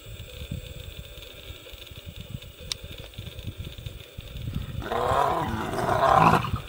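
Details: A lioness defends her cubs against nomadic male lions. Low rumbling leads into a sudden loud, harsh roaring snarl that swells for about two seconds near the end, with outdoor background noise.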